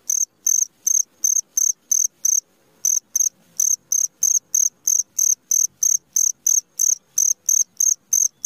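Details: Midnight cricket chirping: bright, high-pitched pulses repeated roughly three times a second in a steady train, with one short gap near the third second and an otherwise quiet background.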